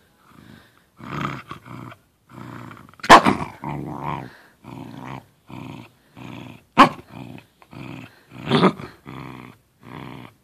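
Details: A Corgi playing with a little tennis ball in his small corner indoors, giving a run of short rough growls and grumbles in bursts about every half second, with a couple of sharper yips between them.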